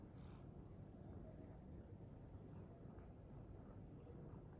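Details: Purring Scottish Fold cat sleeping belly-up in a kitchen, giving a quiet, even low-pitched throbbing rumble that runs throughout without pause, with only faint traces of higher noise.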